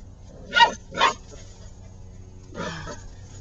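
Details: Six-week-old puppies playing in a dirt pile. Two short, sharp yips come in quick succession, then a softer, rougher bark follows after a pause of over a second. A low background hum runs throughout.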